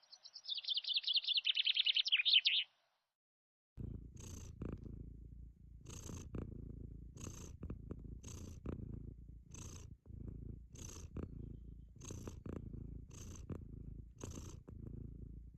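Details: A Sphynx cat enjoying a hot sunny summer day purrs softly, the low rumble rising and falling in regular breaths roughly every second, after a loud buzzing high trill at the start and a short pause.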